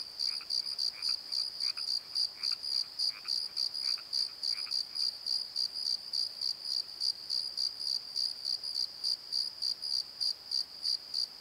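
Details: Crickets calling after dark in a valley bottom: an unbroken string of high, rhythmic chirps about three per second; lower croaking notes join only during the first five seconds.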